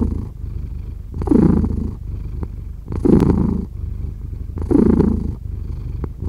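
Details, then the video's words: Close purring from a cat, a soft steady rumble punctuated by three louder, slightly raspy swells spaced about one and a half seconds apart as it breathes. "5 Hours of Cat Purring"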